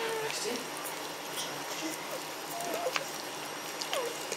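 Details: Whining from a B-litter of Magyar Vizsla puppies vom Elsterhaus, filmed 14 May 2015: several thin, short whines, some sliding downward, spaced about a second apart over a soft rustling, hissy background.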